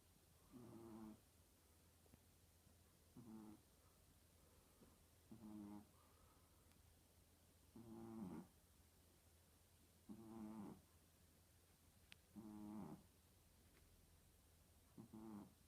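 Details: Sleeping puppy snoring like an old man: low rattling snores with a grainy, buzzing texture, each lasting about half a second and recurring roughly every two and a half seconds, over a constant low hum.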